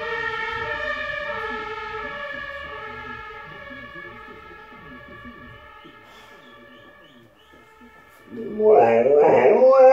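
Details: A Boxer dog in Recklinghausen, Germany, on August 1, 2019, howls a long, wavering, mid-pitched note along with a passing ambulance siren outside.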